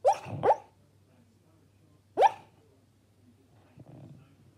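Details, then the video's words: A sleeping female Labrador Retriever puppy, dreaming, gives soft, muffled yips in her sleep, two quick ones then a third. "Cute dreaming LABRADOR puppy barks in sleep!"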